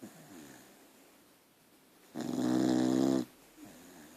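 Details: Archie, a pet dog, snoring while asleep indoors: one loud, rasping, buzzy snore lasting about a second, with quiet breathing before and after in a small room.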